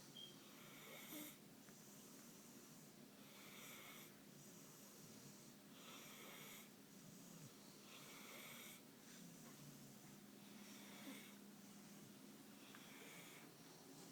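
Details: Suge, a pit bull, sleeping comfortably on the couch and snoring: wheezy, breathy snores return about every two and a half seconds over a steady low indoor hum.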